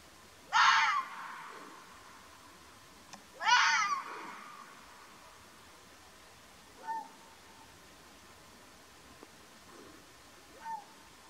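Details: Wild Arabian fox, the mountain fox of Oman: two loud, harsh, rasping calls about three seconds apart, each sliding downward, followed by two much fainter, shorter calls near seven and eleven seconds over a quiet background.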